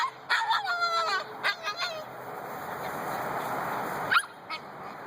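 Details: Two-month-old Husky puppies waking up in the morning give a burst of high, wavering whines and yips near the start, a few shorter yelps around the middle, then a quieter stretch; background hum throughout.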